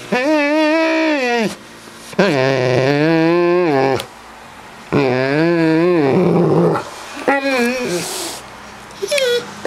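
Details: Harley the dog vocalizing at Puddles, a cat that dislikes dogs, hoping to start play indoors: a run of long, warbling howl-like whines, each sustained one to two seconds, with small growly edges and a woman speaking.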